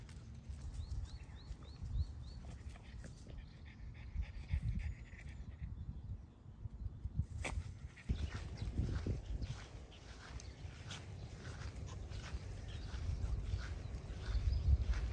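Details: Parent-and-child French Bulldogs out walking at Miharu Dam. Quick, irregular breathy panting grows stronger in the second half, with a brief whimper-like sound and some human voices and outdoor rumble.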